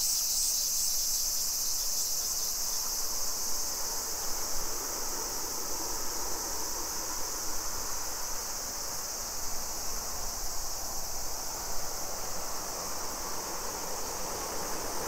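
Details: Summer cicadas singing in a suburban neighborhood of Nisshin city near Nagoya, Aichi Prefecture, Japan, at 2 PM on 28 July 2021: a steady, high, hissing drone that never pauses, with faint low rumble beneath.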